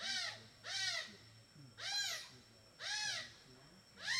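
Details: A playful group of smooth-coated otters in a Borneo river, eating fish for dinner, give harsh, harmonic squealing calls, each arching up and down, repeated about once a second.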